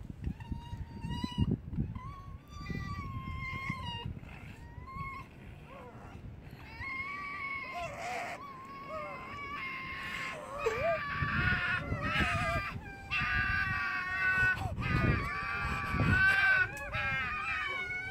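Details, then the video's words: Foxes fighting at Fox Village, Japan: high, wavering whining screams with strong harmonics, starting as separate cries and building into dense, overlapping, harsher screeching toward the end, with thumps and scuffling noise underneath. "Screaming Foxes"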